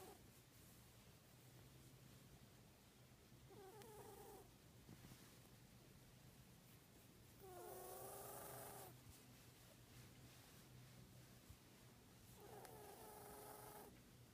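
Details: Scar on his left nostril makes 14-year-old Odie, a cat, sniffle like a baby elephant: three honking, whistly nasal snorts with layered tones, the middle one loudest, recurring every four to five seconds over soft breathing.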